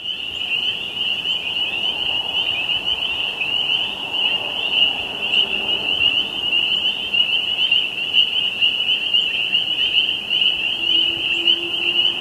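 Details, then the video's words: Tree frogs in Quebec call together in a dense, high-pitched chorus that blends into one unbroken, shimmering trill. "Singing Tree Frogs from Quebec - Free HD Stock Footage"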